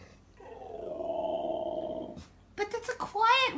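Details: A female Alaskan Malamute gives a drawn-out, wavering howl, as if arguing with a talking toy hamster that answers in a squeaky, sped-up voice.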